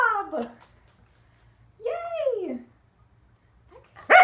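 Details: Corgi named Waffle during an indoor training session practising leg extensions and conditioning exercises: two drawn-out, falling, whiny yowls a second apart, then a quiet gap and a sharp noise at the end.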